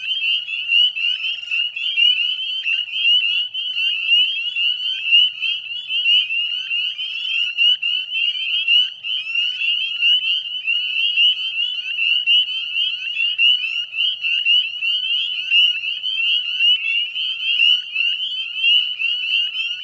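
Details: Spring chorus of northern spring peepers, Chezzetcook salt marsh, Nova Scotia, Canada, 18 May 2020 at dusk: a relentless mass of sharp, high whistled peeps, each rising briefly, merging into an unbroken shimmering drone.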